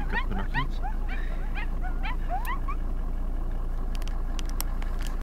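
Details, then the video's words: Coyotes in the Lamar Valley yip and howl in quick, high sweeping notes over a steady low rumble. "Coyote howling and yipping in the Lamar valley"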